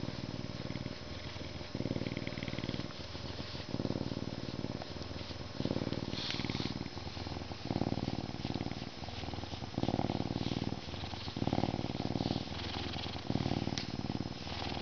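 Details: Canada lynx, a zoo-born male from May 2011 serving as an educational animal ambassador, purrs contentedly during a scratching session before eating; low rhythmic rumbling in long phrases that swell and fade, roughly every second.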